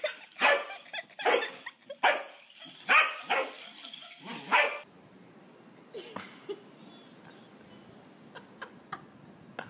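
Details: Pet corgi Mona Lisa gives a burst of loud, high yipping barks in quick succession for about five seconds, then falls quiet apart from faint clicks and rustling.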